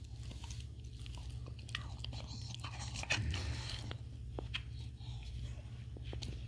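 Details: Petey, a Staffordshire Bull Terrier, gnawing a bully stick indoors on National Dog Day: irregular crunchy bites and wet chewing clicks, with a louder crunch near the middle, over a steady low hum.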